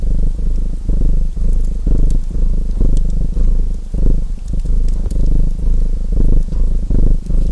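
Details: Domestic cat purring steadily, a deep low rumble pulsing in uneven breath cycles roughly twice a second, mixed with the sharp snaps and pops of a crackling fireplace.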